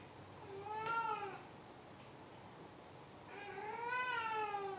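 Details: ['Domestic cat giving two meows indoors, each a clear tonal cry that rises and then falls, the second longer and louder, separated by a brief quiet gap.']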